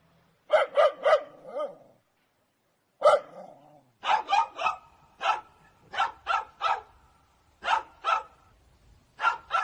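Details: Angry dog barking: a quick run of four barks ending lower, a single bark, then a steady series of harsh paired barks over light background noise.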